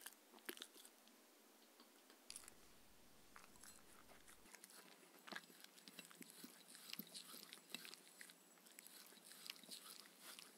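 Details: Evening dinner for a Shetland Sheepdog named Mindy, raw kangaroo diet with coconut oil, eaten indoors; scattered crisp chewing crunches and wet bites, spaced unevenly over a hushed room background, no voices.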